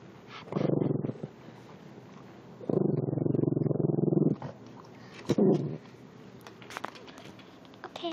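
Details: Fat puppy growling at the person holding the phone: a short low rumbling growl, then a longer pulsed, throaty growl lasting over a second, and a brief third growl, with soft clicks and handling noise between.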